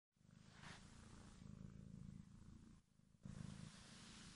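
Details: Bodza, a domestic kitten, purrs steadily indoors: a low, continuous rumbling throb with soft pulsing, briefly dipping near the three-second mark before swelling again; a faint rustle sounds early on.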